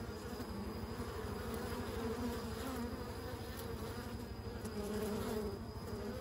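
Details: Continuous low-pitched buzzing of bees, a thick humming drone with gently wavering tonal bands and no breaks.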